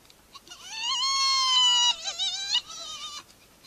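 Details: Spotted hyena giving a drawn-out tonal wail that rises slightly, holds steady, then breaks into short wavering notes before fading, over faint background hiss.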